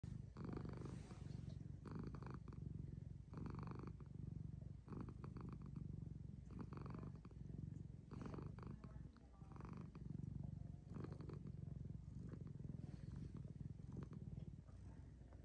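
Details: Domestic cat purring steadily, a low continuous rumble with rhythmic pulses of breath-like noise roughly every second through the clip, recorded quietly at close range indoors.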